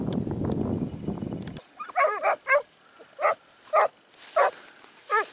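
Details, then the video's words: Segugio Italiano in training, Evros, Greece, 12 September 2018; after a burst of rumbling noise, the hound bays in short, evenly spaced barks roughly every half second. "segugio italiano sofiko evros 12 9 2018 Εκπαιδευτικό"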